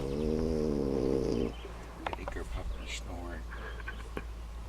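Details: A French Bulldog, worn out after a day of fishing and asleep in a boat, snores with a deep, buzzy, rattling drone that stops abruptly.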